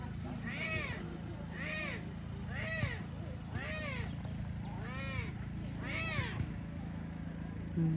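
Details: Tiger cubs abandoned by their mother, at Taigan lion park in Belogorsk, Crimea. Six arched, harmonic mewing cries come roughly once a second over a steady low hum.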